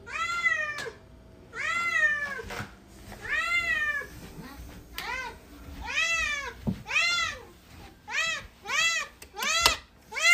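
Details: Cat or kitten meowing insistently, a run of about eight short arched mews that come faster and shorter toward the end, with a few sharp knocks in between.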